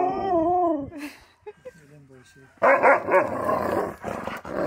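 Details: Keyush the Siberian Husky, excited at a reunion with his best friend, lets out a short wavering howl that bends up and down, followed by mixed grumbly vocal sounds and voices.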